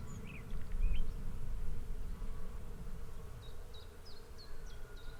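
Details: Swarming bees produce a constant low hum, louder here and rising in a rumbling swell around the first second; scattered bird chirps appear at the start, with a quick series of high notes toward the end.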